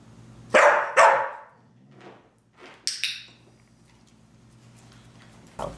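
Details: Pit bull Veronica Lynn, indoors during a treat-rewarded session learning the wipe-your-paws trick, gives two sharp, loud barks about half a second apart, followed by quieter rustling, a brief high burst and a final short sound.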